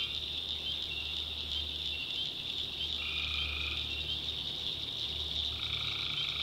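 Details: Nighttime tree frog chorus in North Carolina backwoods, a steady shrill high drone with two longer tonal calls breaking through partway in, one near the middle and another at the end, over a faint low rumble.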